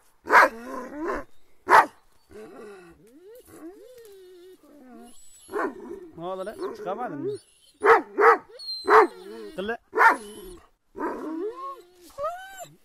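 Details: Attacking Kangal dogs bark in loud single blasts mixed with whining and yelping tones, while people shout in the background.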